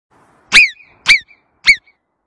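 Three piercing whistles from a marmot ring out in quick succession, each a bright chirp that falls steeply in pitch. Faint echoes trail after each note, and otherwise the setting is quiet.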